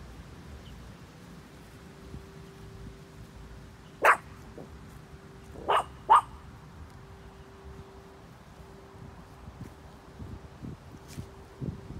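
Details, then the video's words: Little dog barking: a single sharp bark, then two more in quick succession under two seconds later, set against a faint steady hum and low background rumble. "Pejsek štěká"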